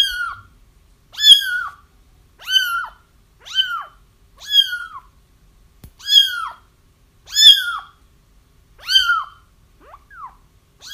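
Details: Kittens crying to draw a feral mother cat into a trap: rapid, insistent high mews, about nine in eleven seconds, each arching up then dropping, with a small thump partway through.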